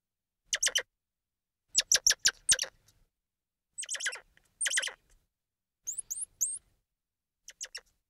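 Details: Squirrel monkey chattering in quick clusters of three to five shrill chirps, followed by thin, high upslurred whistled peeps and a final short pair of squeaks.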